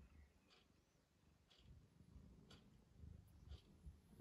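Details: Roky, a pet cat, purring softly: a low, continuous rumble with a steady rapid pulse and quiet faint clicks and rustles above it.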